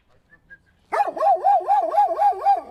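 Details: A dog breaks into a continuous run of rapid, wavering yelps, rising and falling in pitch several times a second without pause.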